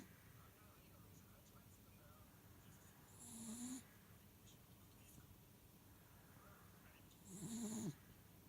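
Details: Pet miniature dachshund asleep indoors, snoring: two rasping, breathy snores roughly four seconds apart, each with a low droning tone under a hissy upper edge, separated by quiet breathing in a hushed room.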